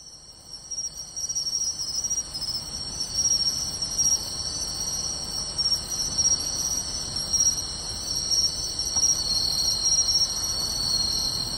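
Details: Many insects including pine crickets and bell crickets singing on a summer night in beachside grassland at Tainai, 24 August 2020; layered continuous high trilling and ringing bands with faint pulsing overlay, steady dense chorus throughout.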